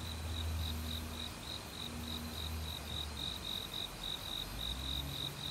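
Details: Forest crickets in autumn chirp rapidly and evenly in high, bright pulses, several each second, with other insects joining. Low rumble and murmur from a mountain valley stream sit underneath.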